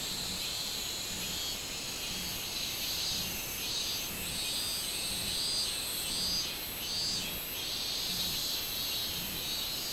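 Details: On 24 July 2016, robust cicada song: a bright, high metallic buzz rising and falling in regular pulses about every second, sustained throughout.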